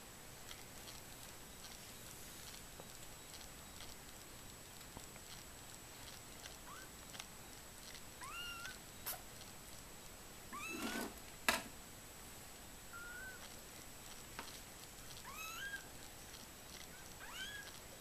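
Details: Mother cat with her 15-day-old kittens, which are learning to walk. Thin, high, upward-sliding kitten mews come every second or two through the latter half, with a few soft knocks and rustles.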